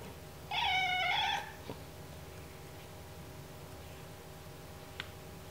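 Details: Domestic cat whining in protest while having its ears cleaned: one drawn-out, harmonic whine of under a second, then quiet room hiss with a soft click or two.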